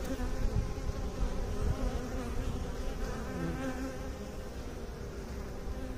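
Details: Bees humming in a steady, dense drone, a low, layered buzz with faint rising and falling tones and no pauses throughout.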